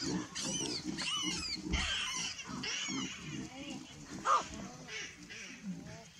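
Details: Baboons calling as a buffalo arrives: a run of low, rough grunts repeated several times a second beneath higher arched, squealing cries, with one sharp bright note near the middle.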